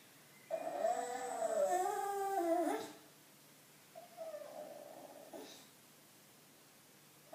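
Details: Loetje the bulldog whining for attention indoors: a long wavering moan of about two seconds with a falling end, then a shorter, softer whimper after a pause.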